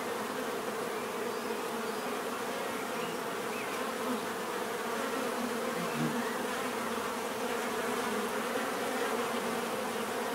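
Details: Bees buzzing steadily in a relaxing natural scene, a dense continuous drone of many wings with bands near the low and middle pitches, individual bees briefly passing closer above the constant hum.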